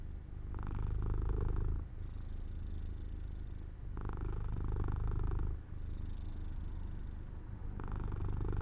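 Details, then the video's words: Pet cat Jojo dozing off by an open window in sunshine, purring steadily; deep rumble throughout, with stronger buzzy surges near the start, middle and end of the stretch. "My Cat Makes Sounds"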